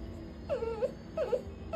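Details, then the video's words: Scolded puppy crying indoors: two drawn-out, falling-then-rising whines with a faint hum and soft music in the background. "Im crying kasi napagalitan ako"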